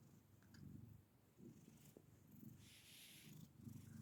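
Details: A black house cat gives a quiet low rumble in short rhythmic bursts, purring in uneven pulses, with a light rustle and some soft high hiss toward the end.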